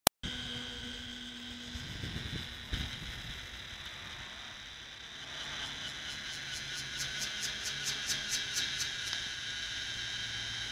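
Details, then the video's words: A cicada at a petrol station in Thailand, a very big one, sings very loudly: a loud, steady, high metallic drone that breaks into rapid pulsing throbs. "จักจั่น ในปั๊มน้ำมัน"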